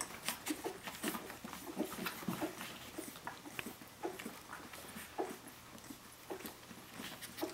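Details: Seventeen-day-old puppies of the dog Brenda calling for their mother indoors; short, soft whimpers and squeaks come in irregular bursts among frequent rustling, scrabbling clicks from the litter moving about.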